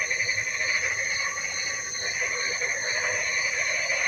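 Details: Rain-time frog chorus: continuous massed croaking and trilling, a shimmering wall of high buzzy notes with pulsing undertones that never pauses, soft background hiss throughout.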